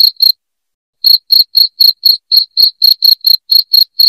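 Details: Loud cricket chirping meant to drive rats out of a home: clean, shrill pulses repeated about four times a second, broken after the first two pulses by a dead-silent gap of nearly a second before the steady rhythm resumes.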